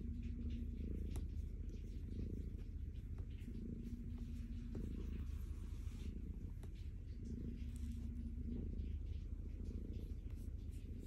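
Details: Calico cat named Stella purring contentedly while being petted, a deep continuous rumble pulsing steadily, with a faint steady hum recurring in the background and soft rubbing from the petting hand.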